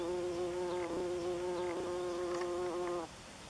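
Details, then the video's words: Bumblebee, Bombus terrestris, flying orientation loops above its ground nest in northern Germany, late June 2015; a steady harmonic wing buzz that wavers slightly in pitch, then stops abruptly after three seconds, leaving quiet background. "Erdhummelnest - Bumblebee nest (Bombus terrestris)"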